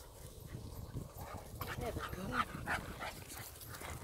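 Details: Tau, a high-energy Staffordshire Terrier puppy, playing with Kaya at the western pedestrian entrance to Melville Koppies East; soft, wavering whines and small yips over rustling, with a person speaking gently nearby.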